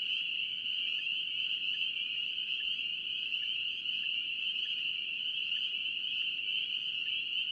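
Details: Spring peepers calling in North Carolina: a dense chorus merges into one steady, shrill high-pitched ring, with softer lower notes recurring about once a second underneath.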